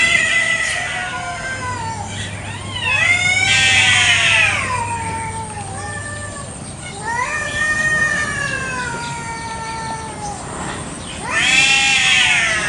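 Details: Territorial fight between village cats in a garden in the morning, with a village chicken nearby. Harsh, strained wails swell and fade in waves, the loudest bursts rising sharply before dropping away.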